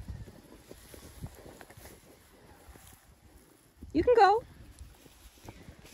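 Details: Nelly, a female cat on a short walk outdoors in her harness, gives a single meow of about half a second that rises and then falls, over soft rustling footsteps.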